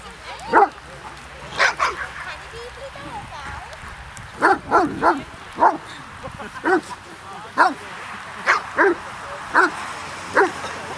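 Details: Barking Hovawarts at a wet-weather reunion of littermates from the "Vom Wildenstein" line, twelve dogs and twenty-two people present. Short, loud barks repeat irregularly, roughly one every second, some in doubles, over steady background conversation.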